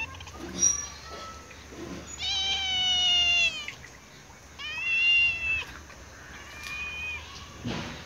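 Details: Cat on a wall begging for food, giving three clear, long, wavering meows, the first the longest and loudest, the later ones shorter, with a low steady hum underneath.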